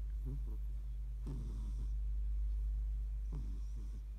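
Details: A female Siamese cat snores in low, rough bursts, each breath a short rumbling rasp about every two seconds.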